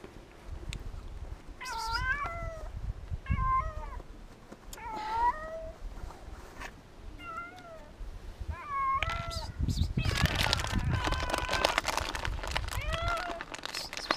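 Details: A scared, hungry cat, needing food and comforting touches, meows repeatedly, a rising then falling wail roughly every one to two seconds, about eight calls, with a burst of loud rustling and low rumbling noise midway.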